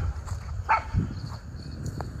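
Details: Miniature Schnauzer, one of two brothers let off leash outdoors in spring, April 2024, in Aroostook County, Maine, after the snow has melted: a single short, sharp bark, then a softer brief yelp, over rustling, footsteps and low wind rumble.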